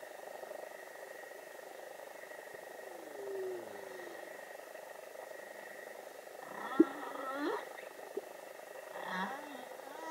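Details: A young humpback whale sings in the waters of Vava'u, Tonga: drawn-out, wavering moans and sliding upsweeps separated by brief pauses.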